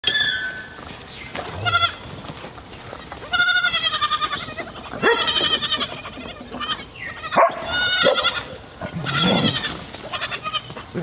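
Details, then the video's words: Baby goat bleating while feeding: several wavering, nasal bleats with stacked harmonics, some long and quavering, others short, interspersed with soft feeding noises and quiet background sounds. "Baby goat feeding"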